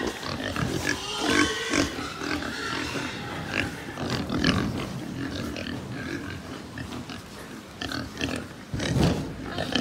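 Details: Pigs at a pig farm in Japan: a dense chorus of overlapping grunts and brief higher squeals from many animals. Short, loud bursts rise at about 1.5 and 9 seconds over steady barn clatter.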